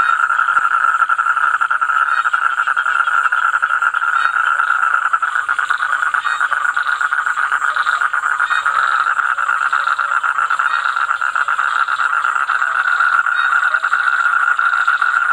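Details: Continuous loud toad trill, fast even pulses held at one mid pitch for the full length, unbroken by gaps, a thin high hiss sitting over it.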